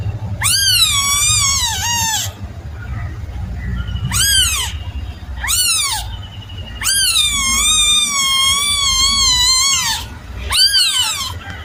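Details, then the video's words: Young kitten giving loud, high meows: a long wavering cry, two short arched mews, another extended quavering wail, and a final brief call, low hum running beneath. "Suara anak kucing"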